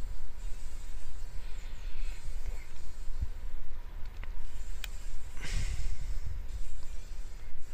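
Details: Fly fighting for its life in a spider web in a workshop corner, morning light; uneven buzzing surges over a dense low rumble, broken by brief clicks and a louder scratchy burst.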